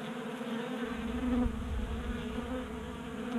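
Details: Honey bees in a Colorado garage in January, active in unseasonal warmth and feasting at a 3D-printed feeder; a continuous low droning buzz of several wings, with a faint rumble underneath.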